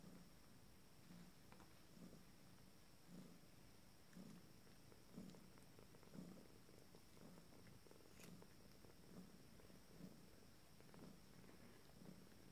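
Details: Abyssinian kittens of a first litter, 19 days old, starting to play indoors; a low, steady purr throbs in soft pulses about once a second throughout, with faint rustling and a few small clicks.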